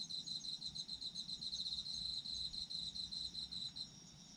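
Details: Continuous high-pitched pulsed trilling from autumn insects, throbbing quickly and evenly for nearly four seconds before stopping abruptly, backed by a fainter ringing insect chorus and a low background rumble.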